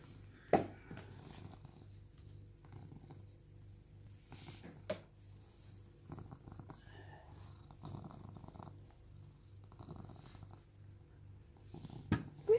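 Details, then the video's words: Sam, a rescued cat living in Cooktown, Queensland, Australia, purring indoors; a steady low rumbling purr runs throughout, broken by a few sharp clicks and knocks. "Cat Purrs"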